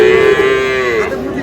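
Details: Sahiwal bull calf at Aftabganj cattle market in Dinajpur on 8 August, as trading begins: one clear, steady, tonal moo lasting about a second, then tapering, over a low murmur of market voices.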